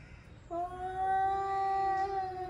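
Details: An angry male cat working up to a fight lets out a single sustained, even-pitched yowl that starts abruptly and holds for two seconds, rich in overtones, over a low background hum.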